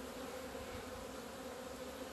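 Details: Many honey bees flying out of a beekeeper's hive in February sunshine after two months indoors, 17 February 2020; a continuous, uniform droning buzz with no pauses and no other clear sounds.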